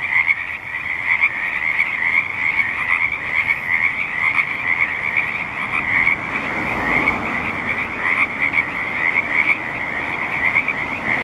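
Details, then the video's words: Frogs croak at the State Street wetland in Olympia in a dense, unbroken chorus of fast, high, pulsing trills. Many callers overlap without pause over a faint low rumble. "Frogs croaking"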